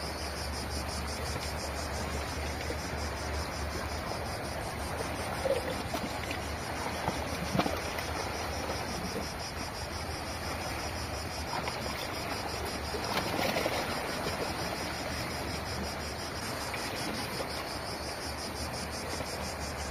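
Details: A steady, high, pulsing cicada buzz on a Greek island beach runs under the broad wash of breaking sea waves.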